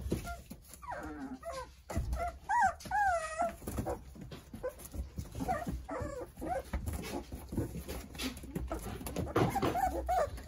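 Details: Korean Jindo pups, a litter of nine playing happily beside their mother Sarang, give clear wavering whines that bend up and down, clustered in the first few seconds, then thinner squeaks amid rustling movement indoors.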